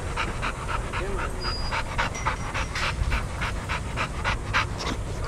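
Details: Shelter dogs at daycare after playing and running together; rapid rhythmic panting, about three to four breaths a second, over a low background rumble.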